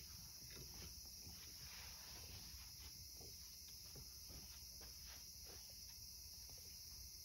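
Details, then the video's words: Cicadas on a summer evening, a steady high-pitched buzzing drone that holds unbroken through the whole stretch, with faint soft ticks and rustles underneath. "夏の夕暮れ.. セミの声.."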